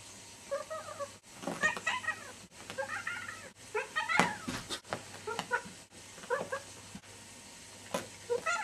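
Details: Pet cat indoors making a series of strange noises: short chirping, trilling and squeaky meow-like calls in quick bursts, several per second, separated by brief pauses, over a steady low hum.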